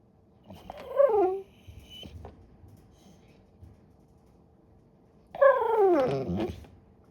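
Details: Great Pyrenees puppy in a crate during training, vocalising to get attention: two drawn-out, wavering whiny moans, each about a second long, the second sliding downward, separated by a quiet pause.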